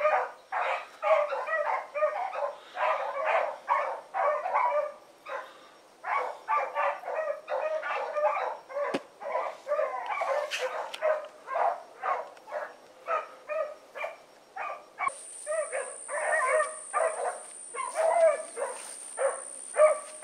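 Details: A pack of four dogs, Choco, Dino, Johnny Ringo and Mingo, barks hard on an evening run, rapid overlapping barks continuing for twenty seconds, with a steady high insect-like whine joining in the final stretch.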